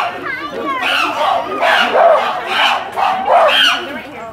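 Chimpanzees screeching in harsh, shrill bursts that repeat roughly every second.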